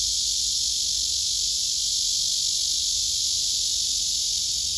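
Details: Courting male cicada serenading a female that retreats from him; the song is a continuous, loud, shrill buzz, hiss-like and even, holding the same high pitch from start to end.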